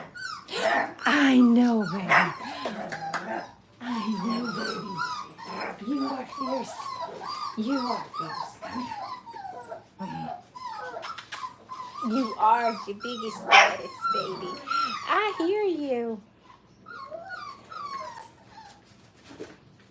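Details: Five-week-old Brittany puppies playing at a training kennel. Many overlapping high squeaky whines, yips and short yelps, some rising and falling, run in a busy stream for about sixteen seconds, with human voices mixed in. The last few seconds are quieter.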